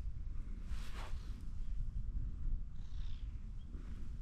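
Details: Orange tabby cat perched on top of a fence, pleading to be stroked more; a steady low rumbling purr runs throughout, with faint soft hiss and rustle above it.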